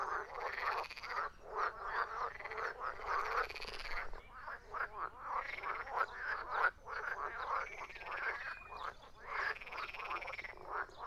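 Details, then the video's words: A chorus of frogs croaking, dense overlapping rasping calls in repeated bursts, pulsed and throaty, with brief gaps between clusters; no other sounds stand out. "Frogs croaking"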